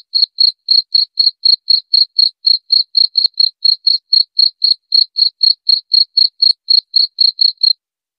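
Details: Rat-repelling cricket recording: a run of bright, high chirps at about four per second that ends just before the close, leaving a short silence, with no other noises.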